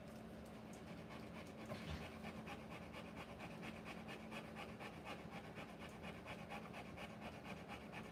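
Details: Panting of a Rottweiler in labour, giving birth to puppies: rhythmic hoarse breaths roughly twice a second, slightly uneven, with a faint steady hum underneath and one brief low knock near the start.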